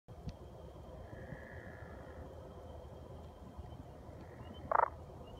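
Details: At Hollins University, a pickerel frog calls with a short, rough, snoring croak near the end, over a steady low background hum. Pickerel frog.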